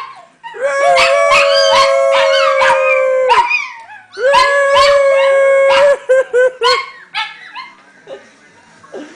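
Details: Several pet dogs singing together in a group howl: long level howls with wavering upper voices and sharp yips, a brief break, then another chorus fading into scattered yips and quieter whines.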